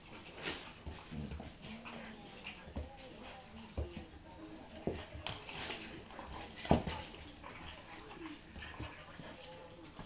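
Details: Pug and Akita cross dog playing, with soft wavering whimpers and low grumbles scattered between thumps and sharp scuffling bursts, one loud sharp snap late on, and faint voices behind.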